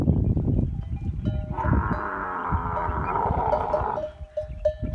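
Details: A camel in the masti (rutting) season: a rough pulsing rumble swells into a long, sustained roaring bellow lasting over two seconds, followed by a series of short bell-like pings.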